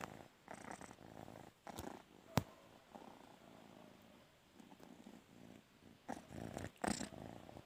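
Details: A cat that wants to sleep on its owner's bed purrs in low, rumbling bursts indoors, with a couple of sharp clicks and rustles.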